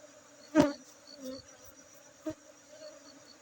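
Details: Honey bees around their hive at a bee-keeping place in Aceh, a continuous low buzzing hum broken by two loud close knocks or passes, faint high insect chirps behind.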